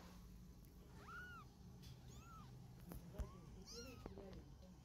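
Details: Cat family scene, mother moving her kittens by carrying them in her mouth: a handful of brief, thin, arching mews spaced across a few seconds, a soft click midway, low rumbling background.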